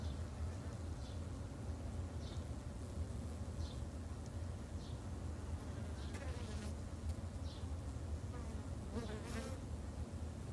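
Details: Japanese honey bees at a backyard hive make a dense, low, even hum. Faint high chirps repeat in the background, and a few sharp rustling clicks break in toward the end.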